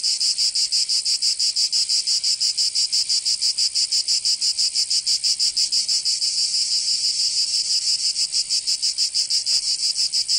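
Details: Summer chorus of cicadas in Provence, southern France, a high rasping buzz pulsing quickly and evenly, roughly three beats a second, continuous from start to end.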